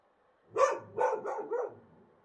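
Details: Wild dogs barking at night in Morocco under a bright moon; a short bout of four rough, mid-pitched barks in quick succession, the first loudest, the last ones softer, over a quiet background.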